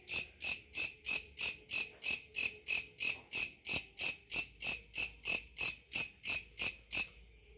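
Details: Grasshopper calling at night, first mistaken for a cricket; loud, harsh rasping pulses repeated about three times a second, each swelling then cut off, steady and even throughout.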